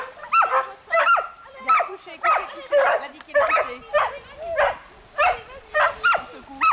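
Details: Two Smooth Collies barking while swimming, joined by a border collie and a shih tzu; loud, evenly spaced barks with rising, yelping tops repeat about every 0.6 seconds, with water noise throughout.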